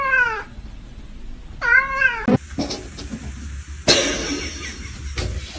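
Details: Domestic cat giving two clear drawn-out meows, each wavering and slightly drooping in pitch, followed by rustling, knocks and handling noises.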